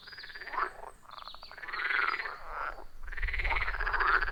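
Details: Forest pond frog chorus recorded on iPhone 14 Pro with Shure MV88+; steady overlapping rasping croaks with pulsed bursts, a low rumble growing in the final second.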